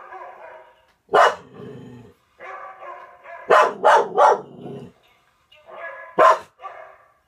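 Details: A dog, one of a Norwegian Elkhound and German Spitz pair, gets worked up at a dog shown on television, giving loud single barks and a rapid triple bark between softer whining, harmonic vocal sounds.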